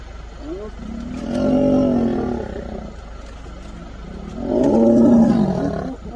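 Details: Lion giving two long, deep, moaning roars with rising and falling tone, each lasting over a second, separated by a quieter gap with faint background noise.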